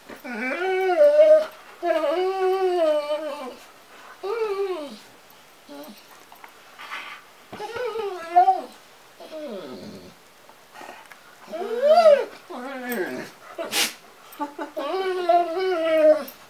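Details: Female White German Shepherd talking to her owner in the morning indoors: long wavering, moaning whines that rise and fall in pitch, given in bursts of one to two seconds with short pauses, plus a brief sharp click.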